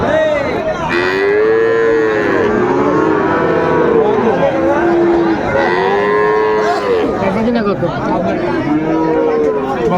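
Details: Friesian and crossbred bull calves at Raniganj cattle market, Dinajpur, on 2 May 2024: several overlapping drawn-out moos with arched, harmonic tones, one after another, over steady crowd chatter and bargaining voices.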